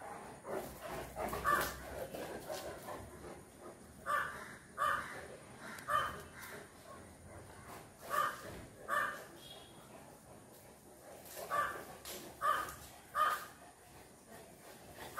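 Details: Dogs, two Fila Brasileiro brothers with a Great Dane, barking in uneven runs: short harsh barks in clusters of two or three, roughly a dozen over fifteen seconds, with quieter gaps and steady background hiss.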